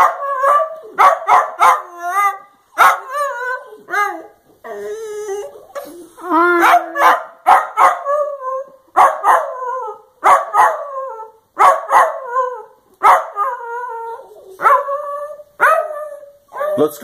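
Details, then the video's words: Pet Dachshund 'saying I love you' in a long run of yodelling, moaning howls. Each burst bends up and down in pitch, with short yips between phrases. The bursts come nearly continuously for about seventeen seconds. "Dachshund love yous' are the best"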